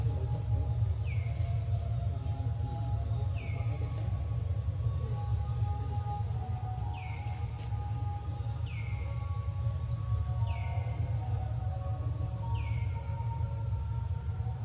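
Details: Hungry baby monkey Leo crying to beg its mother for milk: short high, thin cries that slide downward, about six of them spaced roughly two seconds apart, over a steady low rumbling hum.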